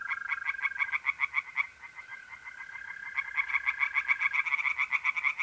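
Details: Nighttime pond chorus of tree frogs in North-East Italy, mid-April: rapid, rhythmic pulsed croaks that ease briefly mid-clip and then return strongly, set over the continuous high trill of mole crickets.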